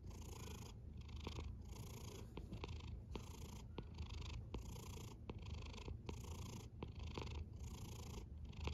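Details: A cat snores, giving a deep, even rumble that swells and fades with each breath at a brisk, regular pace, plus a light airy hiss riding over it and a few small ticks.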